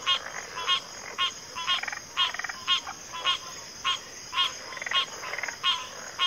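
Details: Frogs calling together in rapid, rattling pulsed notes, roughly two per second and slightly irregular, layered over a constant high-pitched hum.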